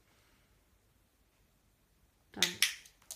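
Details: Near silence gives way to a few sharp, loud snapping clicks near the end.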